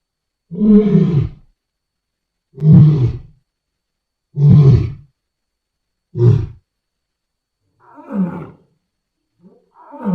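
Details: Wild lions roaring loud: six deep, heavy roars spaced about two seconds apart, each a short powerful burst. The later ones grow quieter and shorter, like a sequence tailing off. No other clear sounds.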